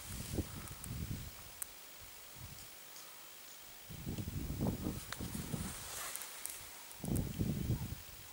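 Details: A bachelor group of male blue wildebeest wallowing in a mud bath to keep irritating flies away gives deep, nasal grunts in irregular bursts, with soft rustling and splashing between.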